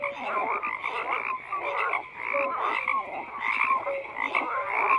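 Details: Many frogs croaking together: grating, overlapping croaks punctuated by short whistle-like notes, keeping an even, busy level.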